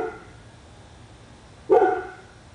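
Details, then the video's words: Domestic dog on Spruce Street in Royse City, Texas, said to bark for hours each day; the fading end of one bark opens, then after quiet hum a single sharp, loud, harmonic bark bursts out and trails off. "Our dog barking on Spruce Street, Royse City, TX"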